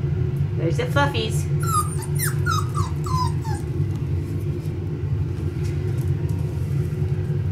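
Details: Five-week-old male Pomsky puppies from Winter and Dash's litter, indoors: a short run of falling, high whimpers around the second and third seconds over a steady low droning hum that fills the whole recording.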